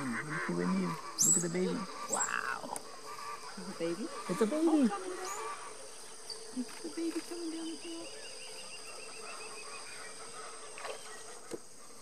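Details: Giant otter on the Tres Irmaos river, giving loud, wavering, harmonic squeals and whining cries in bursts over the first five seconds, then quieter short calls, with a steady high insect drone and a low hum throughout.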